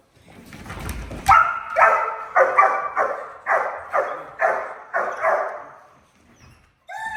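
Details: Young German Shepherd pup, about five to eleven months old, in foundation training gives a run of sharp, even barks about twice a second on the command "pass auf", prompted with a prey flirt pole.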